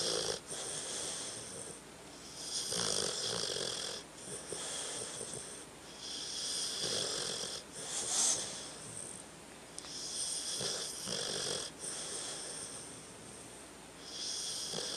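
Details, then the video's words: Sleeping dog named Tucker snoring in a regular cycle: drawn-out whistling, wheezy breaths roughly every two seconds, each followed by a brief lull, with a few soft snorts mixed in over fifteen seconds. "Tucker sleeping and snoring"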